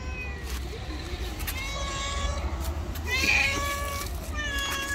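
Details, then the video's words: Angry white stray cat living on the street gives a few thin, wavering meows, one louder and higher near the end, against steady low urban traffic rumble. "Angry White Cat.😾She is the World's most Psycho, Maniac, Jealous and Terrorist Cat."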